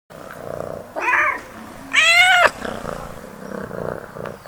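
A domestic cat gives two loud, strained meows, the second longer and harsher, sounding angry.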